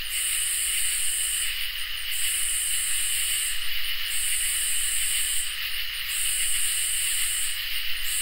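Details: On a summer night, crickets and katydids sing together: a steady mid-pitched trill under high, buzzy bursts about every two seconds.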